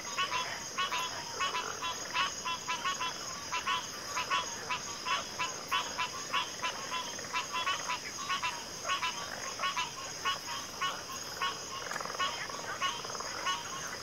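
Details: Frogs calling together in a backwater chorus, packed trains of raspy pulsed croaks overlapping continuously with rhythmic swells in loudness, over a steady high-pitched insect drone.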